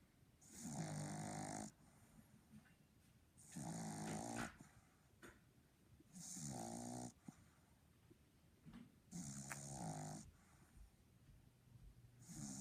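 A Boston Terrier snores in steady, rasping rumbles, each breath lasting about a second, roughly every three seconds.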